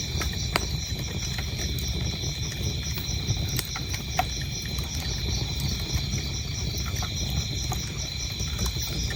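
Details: A fireplace crackles and pops while crickets keep up a bright, rapidly pulsed chirping trill in the background without pause.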